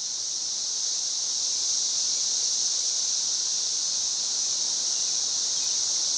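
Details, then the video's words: Continuous high-pitched chorus of 13-year cicadas near a Missouri home on May 29, 2011, an unbroken shimmering hiss at a constant pitch and volume with no pauses and no other clear sounds. "The 13-year cicadas in Missouri"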